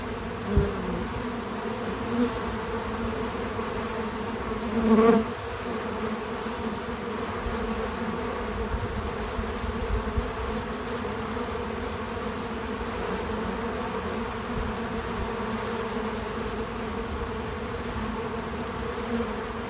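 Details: A steady swarm-like buzz comes from bees working a feeder outdoors on a small farm. Around the fifth second one bee passes close with a louder, rising whine, and a few light taps sound early on.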